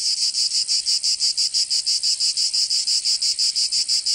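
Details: Short stretch of summer cicada song in Provence, southern France: crisp rhythmic buzzing bursts, about three per second, evenly spaced and loud; no background sounds.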